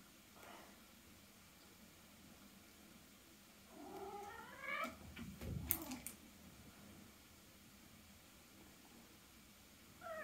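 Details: Norwegian Forest Cat, one of two cats from Hungary living in Switzerland, indoors: a drawn-out meow with rising and falling harmonics around the middle, a short faint meow near the start, and thumping handling noises.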